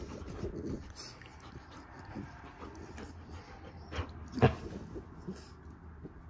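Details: Morning play between a Standard Poodle pup and a Havanese-mix indoors; soft low growling and panting under scuffling noise, with one sharp knock near the end.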